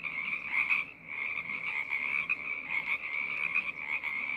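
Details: Brief burst of a frog choir, dense high trilling from many frogs, with a short dip in the chorus near the one-second mark before the calling swells back.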